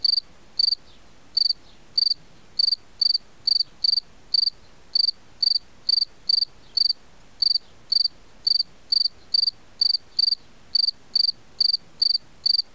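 A cicada gives short, shrill, ringing pulses, about two per second, in a steady repeated rhythm.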